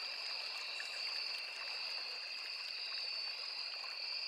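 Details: Crickets trill steadily near a small forest river, a continuous high, ringing insect chorus on two stacked pitches with no gaps, accompanied throughout by the soft wash of running water.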